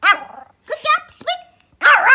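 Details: A male Pomeranian gives quick, high-pitched yappy barks on command while his owner praises him.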